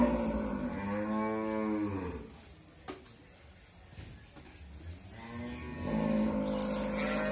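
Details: Pregnant Friesian dairy cow, eight and a half months in calf with her second calf, family-raised on a farm in Bhangura, Bangladesh, giving two long, deep, harmonic-rich moos, one at the start and one after a quiet pause.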